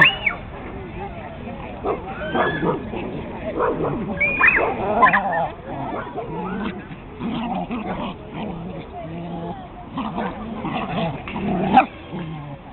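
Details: A male Pekingese, unhappy with a new canine brother, lets out shrill, nasal yips and whines, some rising and bending in pitch, with rough growly barks between, while human voices murmur faintly underneath.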